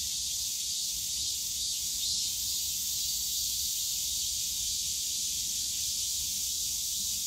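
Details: In the bamboo grove of Yongsan Family Park during a summer day, cicadas produce an unbroken, loud, high-pitched drone, steady in volume, with light background park noise.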